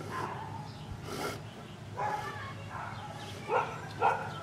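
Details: Bauer, an Anatolian Shepherd Dog, barks from a window at workmen next door and people walking down the street: a run of muffled, irregular barks from indoors, ending in two sharper, louder barks about half a second apart.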